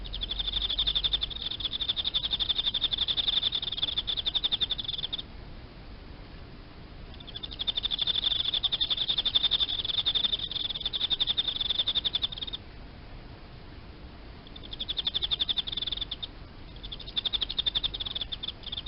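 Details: Captive Emma field cricket kept among live-food insects, chirping in pulsed, high, steady-pitched trills that run in bursts of several seconds with short silent pauses between, over a faint low background hum.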